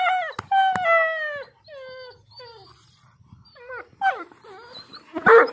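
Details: Pakistani Bully dog (Bully Kutta) howling: two long, clear, harmonic howls that fall gently in pitch, then shorter broken wavering notes, ending in a rough, strained yelping burst.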